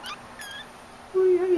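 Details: Persian kitten rolling around in bed, giving faint high squeaks early on, then a loud, steady, fairly low meow held for about half a second at the end, with a man talking nearby in a small room.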